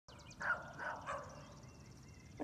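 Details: Dogs bark outdoors on a cold March morning (March 8): three short, hoarse barks about every half second, then fading, over a steady background hum.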